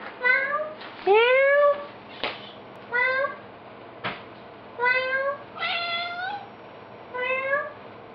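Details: Odie, a cat, meowing repeatedly indoors while people goof around with him: about seven short rising-then-falling harmonic meows spaced roughly a second apart, one longer drawn-out cry near the start, with a few clicks between.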